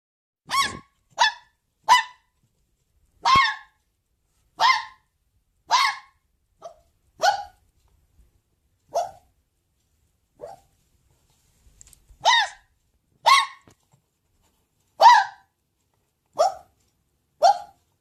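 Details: Red fox (Vulpes vulpes), bark.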